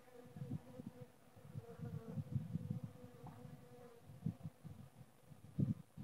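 Honey bees buzz with a low, steady hum that swells and fades as bees pass close.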